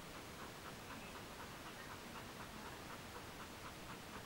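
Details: Resting in a cool living room after a long journey on a hot, sticky summer day, Border Collie Mona pants fast and evenly, about four short breathy puffs per second, with a steady low hiss underneath.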